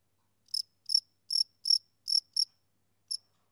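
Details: Softer, more distant-sounding chirping from a male cricket: six high chirps spaced about half a second apart, a pause, then a single last chirp.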